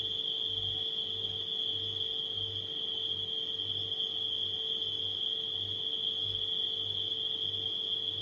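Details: Crickets at night mixed with a humming refrigerator, the insects giving an unbroken shrill trill while a deep appliance drone throbs underneath at a slow, even pulse.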